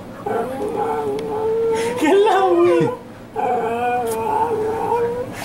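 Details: Jealous dog Neechee, upset when others get attention, lets out long sustained whining howls with a wavering pitch, a brief dip and bend in the middle, then a second steady howl, with faint voices behind.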